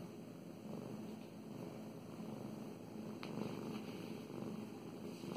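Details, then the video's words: Domestic cat purring steadily while being petted indoors, a low continuous rumble with soft hand-stroking rustles over it. "Five minutes of purring and petting"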